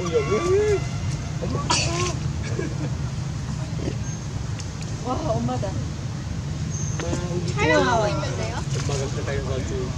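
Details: Baby monkey calling for its mother and wanting comfort: high, wavering harmonic cries that bend up and down, loudest in a cluster near the end, over steady low traffic rumble and faint human voices.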